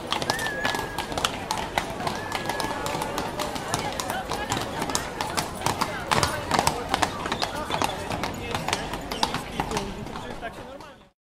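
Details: Horses walk on concrete city street pavement, hooves knocking sharply in a rapid, irregular, overlapping clip-clop, with voices murmuring nearby and a general outdoor city hum.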